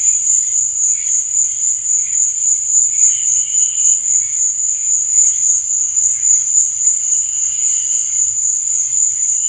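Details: Night-time cricket chorus, a continuous piercing high-pitched trill that pulses softly several times a second, with fainter mid-pitched chirps coming and going beneath it.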